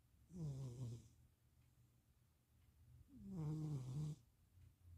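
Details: Napping cat Stevie, being cat-sat in Austin, Texas, on 2026.04.07, lets out two deep, slightly tonal snores, each under a second long and about three seconds apart, with a soft hiss between them indoors.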